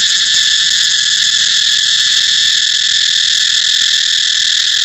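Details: Unbroken, intense cicada drone, a high, dense buzz holding at an even loudness from start to finish, recorded in Thailand with no other clear sounds.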